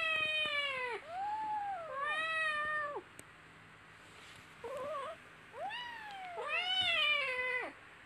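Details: Little kittens playing and fighting together give a rapid series of loud, high, harmonic-rich meows that rise then fall, several overlapping, with a brief wavering squeak in the middle and near-constant calling throughout.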